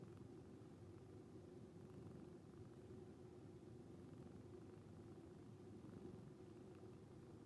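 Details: Sleeping calico cat named Moko, a rescue, rumbles a snore-like purr while resting with fellow cat Nyantora; a low, even drone holds throughout, very quiet, with no other clear sounds.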